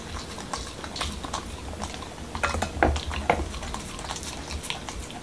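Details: Corgi named Momo munching a homemade taco at a taco night in Washington DC, with irregular moist crunches and smacks, strongest around the middle seconds, in a small quiet room.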